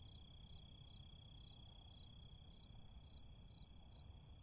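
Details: Cricket. Several crickets call together, one giving short bright chirps about every half second while others hold a thin continuous trill. A constant low rumble of distant traffic runs underneath.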